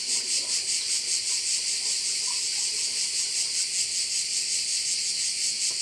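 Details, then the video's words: Crickets chorusing over a bay on Korčula: a dense, shrill, high-pitched wall of sound that pulses steadily about two or three times per second, with no other clear sounds. "View of one of the bays in Korcula with sounds of crickets"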